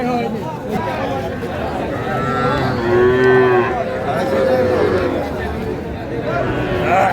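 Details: Sahiwal calves at a Faridpur, Bangladesh cattle sale on 17 March 2025, where young bull and heifer calves are being bought; a rising, nasal moo, then a second higher drawn-out call, over steady crowd chatter and bargaining voices.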